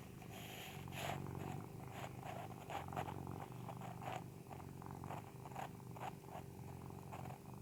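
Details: Persian cat asleep and snoring: soft, raspy breaths pulse steadily about twice a second, a rhythmic rumble over a constant low indoor hum.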